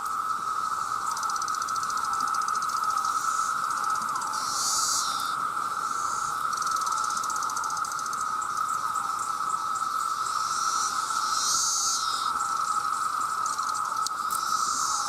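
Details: Very loud massed chorus of male cicadas calling for mates, sustained as a continuous buzzy whine at a single pitch, with occasional surges of higher hissing rasps every few seconds.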